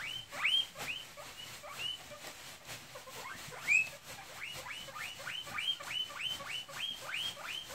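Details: Hungry pet guinea pig calling with rapid, high, rising-then-falling whistled squeals repeated about twice a second, a few louder ones standing out above a faint background hiss.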